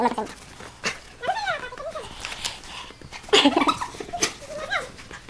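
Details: An Alaskan Malamute playing in the snow gives short, bending woo-like howls that rise and fall in pitch, with a person's voice and a few sharp noises alongside.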